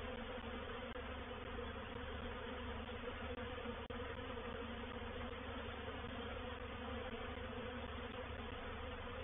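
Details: Reproductive honey bee swarm occupying a swarm trap at Painted Peacock Manor, 04/07/21; an even, quieter droning buzz over a low background rumble, with a couple of faint clicks midway.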